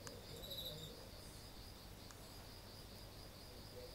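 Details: Insects calling at night on 30 August 2018 outside a house entrance in Japan, late summer with a hint of autumn; a steady high thin trill runs throughout over a low background hum.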